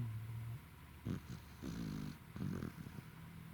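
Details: Tired Welsh Corgi snoring, recorded 28 November 2021: soft, low rumbling snores in short bursts over a steady background hiss.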